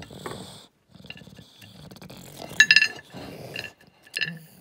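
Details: An English Bulldog chewing noisily, with crisp crunches, wet smacking and snuffling breaths, while being offered carrot and banana.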